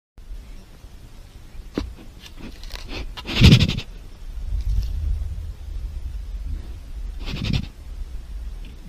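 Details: Jaguars chuffing: two short breathy puffs, the stronger near the middle and another toward the end, with soft low rumbling and faint scattered rustles between.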